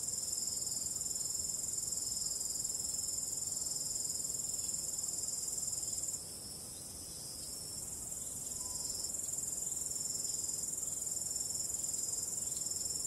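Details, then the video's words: Crickets calling on a starry night with a calm wind: a steady, dense, high-pitched chirring chorus that runs unbroken and dips briefly in loudness midway, over a soft low wind hiss. "45 min of ambient relaxing cricket sound"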